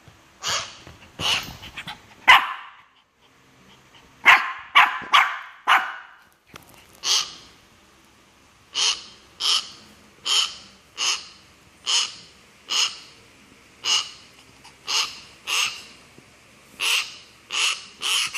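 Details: Shih Tzu bothering a myna bird: a cluster of harsh barks early on, then a long run of higher, evenly spaced sharp calls, roughly one every second.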